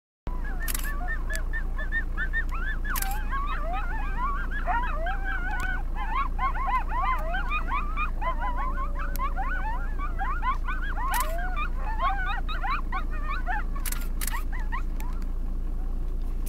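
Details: A group of coyotes in the Lamar Valley howls and yips together in a dense, wavering chorus over a low rumble of wind.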